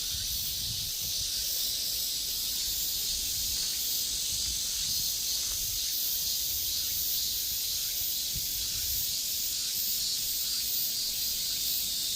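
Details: Korean cicadas singing in a steady, dense, high hissing buzz that never breaks, with faint rapid pulsing running through it for the whole stretch.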